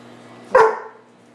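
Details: A Weimaraner gives one abrupt, throaty, gruff woof that fades quickly, talking back and complaining at not being given turkey, over a faint steady hum.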